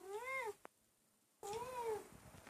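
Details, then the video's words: Domestic cat indoors, one of three household cats shown to have distinct voices, giving two meows: an arched harmonic meow rising then falling, a short pause with a faint click, then a second longer meow sliding up and down. "Every Cat has a Different Meowing Voice"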